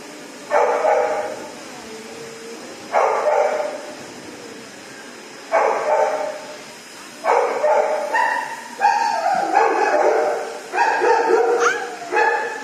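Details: Frightened at first in a dog shower, a female dog barks over and over, roughly every two seconds, the later barks coming faster, higher and whinier, ending in a sharp rising yelp.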